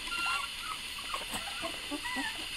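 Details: Puppies keep crying as a larger littermate eats. Faint squeaky whines, some drawn out and level, others short rising-falling arcs, scattered through the moment over a steady hiss.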